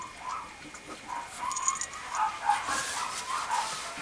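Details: Male Mame Shiba Inu puppy at a Japanese breeding kennel: short, high, whining yelps repeated in quick uneven bursts, several per second, with faint hiss in the background.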